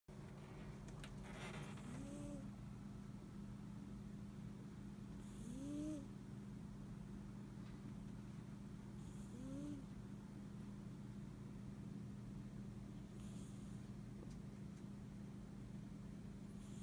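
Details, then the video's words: Domestic cat snoring while asleep; soft, rising whistled snore notes recur roughly every four seconds with each breath, over a steady low hum throughout. "Кошка храпит во сне"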